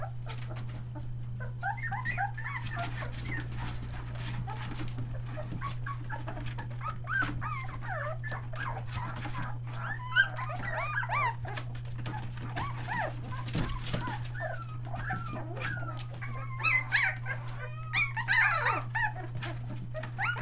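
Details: A litter of Australian Shepherd puppies, nearly three weeks old and newly vocal, near Mooresville NC: scattered thin whines and squeaky yelps, softer and sparser, over a constant low hum.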